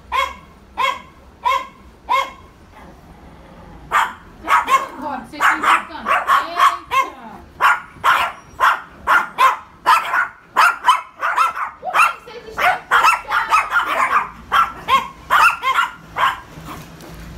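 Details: Yorkshire Terriers barking to provoke: a long run of sharp, high yapping barks, first spaced about a second apart, then coming fast and overlapping in irregular bursts as several voices join, with faint murmuring in the background.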